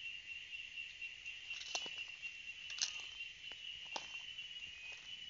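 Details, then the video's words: Chorus of cicadas keeping up a continuous shrill, high drone at constant pitch, broken by scattered sharp ticks and clicks. "Canto das Cigarras"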